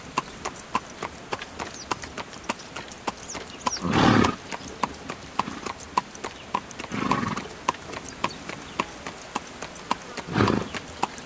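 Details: Horse pulling a carriage: steady, sharp clip-clop hoofbeats ringing out about twice a second, with three brief, louder broadband rushing bursts near four, seven and ten seconds.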